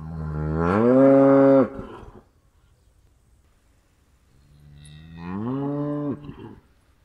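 A cow gives two long, deep moos, each rising in pitch and then holding steady.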